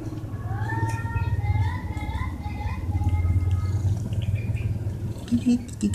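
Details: Stray cats being fed vegetable rissoles give several drawn-out, rising and wavering meows in the first three seconds, over a loud steady low rumble, with faint clinks near the end.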